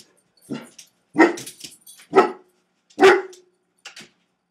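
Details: Axel, a two-year-old Newfoundland dog, barks indoors while Tank, a Rottweiler-boxer mix, wrecks the trash and kitchen. Four loud, deep, gruff barks come roughly once a second, with a fainter fifth bark at the end.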